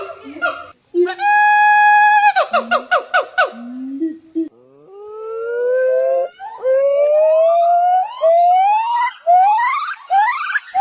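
A monkey gives loud, siren-like wails that swoop upward in pitch, repeated in a rising series.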